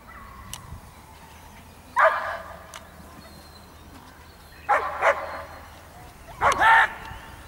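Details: Giant Schnauzer named Blackmoore barking: three short, loud, mid-pitched bark bursts spaced roughly one and a half to three seconds apart, with quiet background between them.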